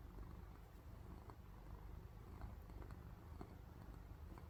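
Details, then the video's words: House cat purring in its sleep: a low, rough, continuous vibration, quiet and steady, resembling gentle snoring. "코 골며 자는 고양이 (골골 소리) Snoring Cute Cat (Purr Sound!)"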